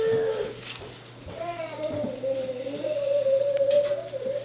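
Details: Staffordshire Bull Terrier puppies, 5.5 weeks old, the litter of a dog named Jenny, give a long, steady mid-pitched whine that wavers slightly and holds for about three seconds, with a person talking quietly underneath.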